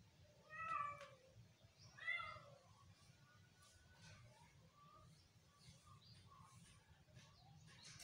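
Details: Baby cat playing with an iguana: two loud, clear meows near the first and second seconds, followed by several faint, short mews over steady low background noise.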